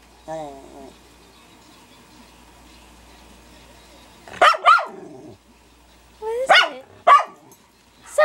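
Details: A male Schnauzer confronts his mirror reflection with loud, rough barks: a quick double bark, then after a pause a short run of three sharp barks. A brief voice is heard near the start.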